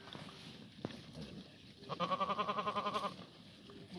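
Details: Korean black goat at a Gimhae farm, Korea, on a sunny Sunday morning, 24 March 2019, during a spring cold snap. A single loud, strongly trembling bleat lasts about a second, preceded by a sharp knock.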